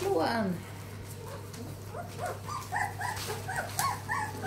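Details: From Ruby's growing litter, one puppy's falling whimper opens, followed by a quick run of small squeaky yelps, about three or four per second, with a woman murmuring nearby.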